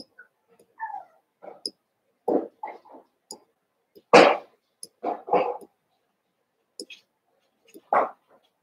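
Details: Cavalier King Charles Spaniel puppies, Daisy's litter of six merged with Robin's two pups, playing together indoors; short scattered yips and whimpers come in separate bursts amid quiet gaps, with one louder sharp yelp near the middle.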